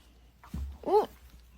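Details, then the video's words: Cat giving one short meow, about a fifth of a second long, that rises and then falls in a clear tonal arch, just after a brief low human exclamation in a quiet indoor setting. "kitten meowing"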